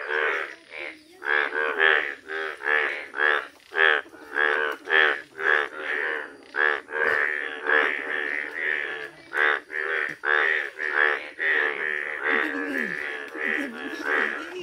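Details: Village chorus of Indian bullfrogs, bright yellow, producing a rapid series of loud, buzzy, nasal croaks, close to two per second, evenly spaced pulses with a few overlapping voices toward the end.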